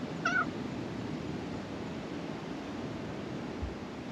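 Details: A black cat at a Japanese shrine, emerging from beneath the floor to be petted, gives one short, clear meow that bends slightly downward near the start, followed by steady outdoor background hiss.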